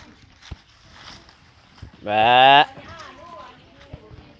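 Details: Single loud, steady, harmonic-rich bleat lasting about half a second from goats foraging on their own in an open free-range pen, with faint voices and soft rural background around it.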